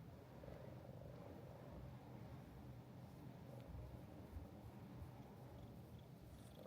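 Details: Mika-chan, the friendly female resident cat of Minshuku Nozaki, a hot-spring guesthouse near the sea in Ito Onsen, Shizuoka Prefecture, Japan, purring steadily: a soft, low, continuous rumble that holds evenly throughout, with faint room hiss.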